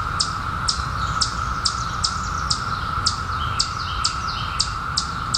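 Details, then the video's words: Periodical cicadas in 2021, emerged after 17 years underground, hold a steady, even mid-pitched drone throughout, while a bird's sharp, high, falling chirps repeat about twice a second over it. "SOUND OF CICADAS 2021"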